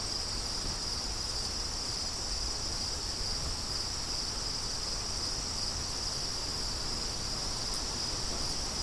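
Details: Crickets in a steady, unbroken high-pitched chorus, a bright continuous shrill tone held with no pauses throughout, over a low, rough rumble of wind.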